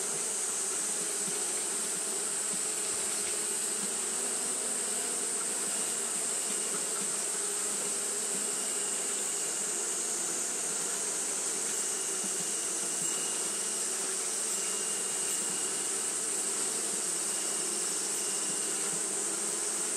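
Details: Japanese honey bees fanning continuously on a hot day; a steady, dense droning hum with low harmonic bands and a bright high hiss that holds unchanged for the full stretch.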